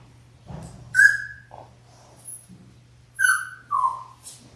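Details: Labrador Retriever puppies in their sixth week, born January 18, 2022, filmed on a live puppy cam, let out thin whistled whines that slide downward, two close together near the end, over a faint electrical hum.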